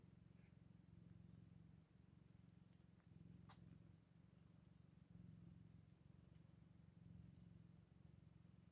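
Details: Newborn Scottish Fold kittens on day eight; a low, vibrating purr rises and falls in roughly two-second swells, with a few quick clicks and taps in the middle.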